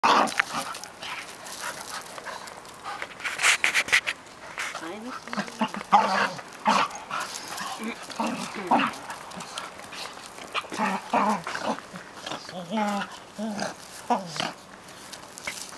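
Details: Two 8-month-old dogs, a Cairn Terrier and a Finnish Lapphund, play together, giving short yips, whines and rough growly bursts, with human voices mixed in.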